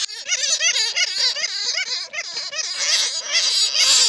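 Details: Original sound of bats taken in a net, played to draw in more bats: quick bursts of shrill, wavering squeaks crowded together, growing harsher and more hissing toward the end.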